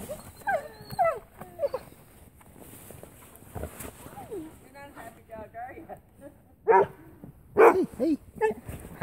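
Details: An Airedale Terrier greets its owners when they return home, excited and happy, giving high, wavering whines and short yelps in quick bursts. People talk and laugh throughout and tell the dog not to nip.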